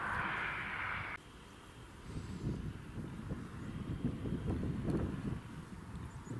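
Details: Low outdoor rumble like a distant engine with wind, and a hissing band that cuts off after the first second; no animal voices.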